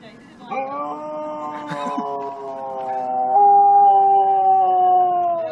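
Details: Siberian Husky giving a long, steady howl with a strong harmonic stack, held for several seconds and stepping up in pitch partway through, then sustained to the end; faint voices in the background.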